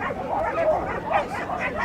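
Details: Norfolk Terrier at agility, 28 March 2009: a couple of quick, clipped barks about half a second apart, with murmuring people and event background noise throughout.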